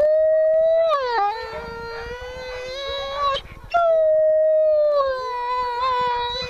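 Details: At a wolf sanctuary, a female grey wolf howls in long, smooth, mournful tones, with two voices overlapping at slightly different pitches.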